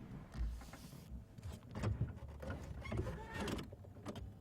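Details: Low vehicle rumble with mechanical whirring and clunks, like a window motor, and no animal calls.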